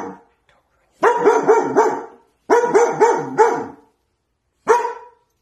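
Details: Frightened pet dog in a kitchen, acting protective toward a corner, a dog that had never barked before: clusters of three or four rapid yelping barks, a pause, another cluster, then a lone bark.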